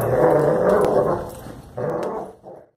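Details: One-year-old German Shepherd puppy named Adora during protection training, growling low and rough for nearly two seconds, then a shorter second growl burst and a brief tail-off.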